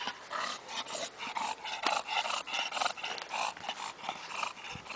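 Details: English bulldog making short, breathy grunts and snorts in irregular bursts, some louder than others, with a faint low hum behind.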